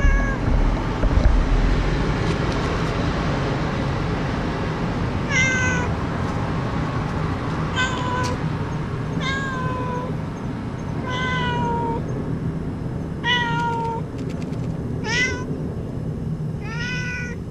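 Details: Stray cat called 목냥이, eating at a street-cat feeding station when a wandering dog crept up behind it. After a quiet start, a run of clear meows comes every one to two seconds over steady low background hum.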